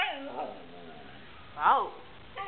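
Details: A Siberian Husky "talks" back to its owner with short, arching howled woos that rise and fall in pitch.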